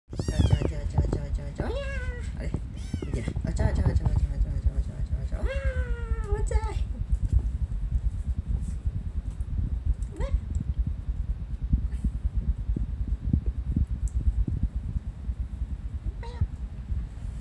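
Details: Several domestic cats, described as four brothers with an older sibling, filmed on 7 June 2020; a string of rising-falling meows in the first seven seconds, then a few fainter mews, with a man talking and steady low background rumble.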